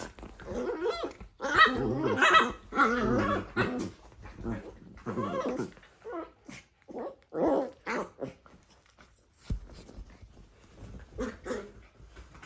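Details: Dachshund puppies wrestling and playing together indoors, giving bursts of rough growls and short yelping barks, loud scuffling flurries in the first seconds, then broken, quieter growls and yips.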